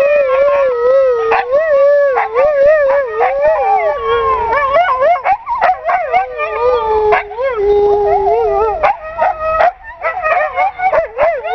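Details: Siberian Husky kept as a pet gives a sustained wavering howl that dips lower in pitch midway, broken by short yips and sharp vocal clicks, ending in choppier, rising and falling whines.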